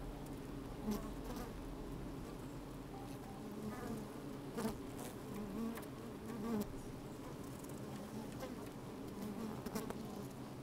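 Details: Worker honey bees busy in an open hive on a fine sunny day, captured from inside: steady deep hum with intermittent louder buzz bursts and frequent clicking, crawling noises close to the microphone.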